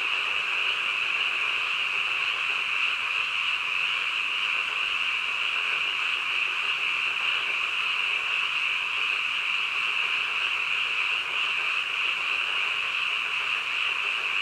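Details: Frogs croaking deep in the night, their many voices fused into a steady bright trilling hum without breaks, level and continuous, with no other sounds.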